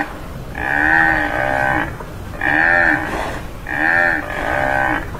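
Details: A tamaraw (Mindoro dwarf buffalo, Bubalus mindorensis), endemic to Mindoro Island, Philippines, gives three drawn-out, nasal bellowing calls, each about a second and a half long, with a harmonic, moo-like tone.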